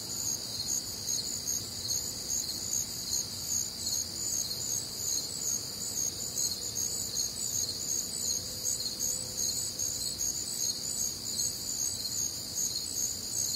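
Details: Warm, humid summer night in the Midwest with crickets chirping in steady rhythm, about two and a half pulses per second, riding on a continuous high-pitched insect drone and faint low background noise.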